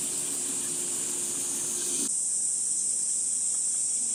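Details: Summer cicada chorus at Gifu Prefectural Centennial Park, Japan, heard on a morning walk at 37°C on 23 July: a continuous shrill buzzing drone throughout, with a faint low hum beneath it during the first half.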